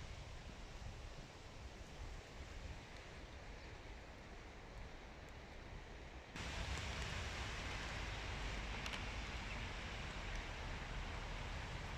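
Steady broadband wind and rushing noise, growing louder halfway through, with no animal calls heard.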